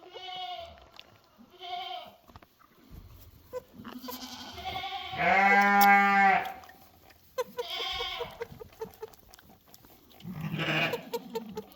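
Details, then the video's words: A bottle-fed baby goat makes happy sounds while wagging its tail, bleating repeatedly in short, wavering, nasal cries, some high and some lower. "Baby goat on a bottle, making happy sounds and wagging its tail"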